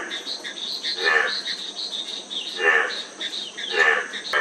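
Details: Three separate throaty frog croaks, spaced over a second apart, over a constant shrill background of insects.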